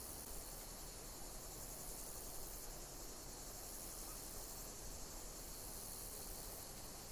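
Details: Nature recording of chirping insects: a high, even buzzing chorus rising and falling slightly in regular waves, with a low steady rumble underneath.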